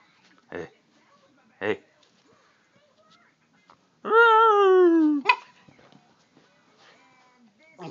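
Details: Female Siberian Husky grunting back at her owner: a single loud, harmonic whine-moan of about a second that slowly falls in pitch. A person's speech comes before and after, with soft clatter.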